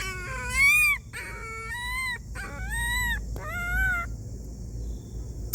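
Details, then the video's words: A homeless dog making sounds as if asking for help: a series of high, tonal whining cries, each rising then falling, some short and broken, others drawn out, with faint background hum. "A homeless dog was making sounds as if asking for help—a pitiful dog."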